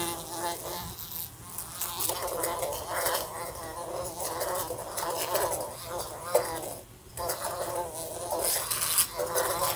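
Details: Fly flying about a room lamp, colliding with it repeatedly; a continuous modulated buzz rising and falling in pitch and volume, punctuated by short crackling taps, with a brief lull near the seventh second.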